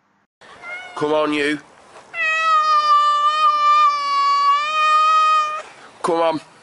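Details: Pet cat giving a long, drawn-out, level meow lasting about three seconds, framed by brief human voices before and after.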